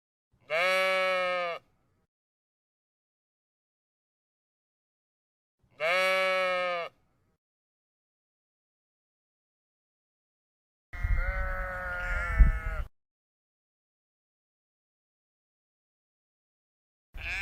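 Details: Repeated sheep bleats: two even, clear, drawn-out calls spaced about five seconds apart, a coarser wavering bleat over low rumbling noise, and the start of another at the end.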